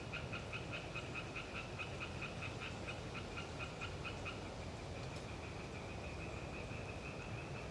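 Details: Eastern tree frogs, Hyla orientalis, in the Galeriç Swamp Forest of the Kızılırmak Delta near Samsun on a windy autumn day: a fast run of pulsed, quacking notes that slows and fades into a drawn-out trill, over constant wind noise.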